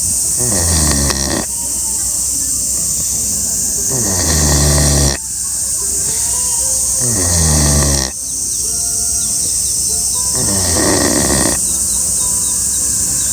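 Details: Sleeping pig snoring at full blast: rough, low, buzzing snores with stacked harmonics, each lasting about a second and recurring roughly every three seconds, over a constant high hiss.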